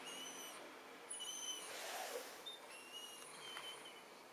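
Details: Weimaraner dog indoors, asking to go out, recorded 4 January 2011 on a Panasonic Lumix camera: soft, thin, high whistled whines in short bursts, about five over four seconds, fairly quiet.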